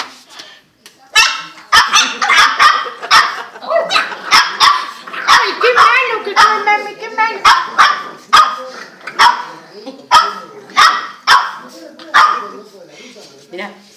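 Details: Purebred two-month-old boxer puppies yipping and barking in quick, sharp, high bursts, roughly one or two per second throughout, with human voices talking underneath.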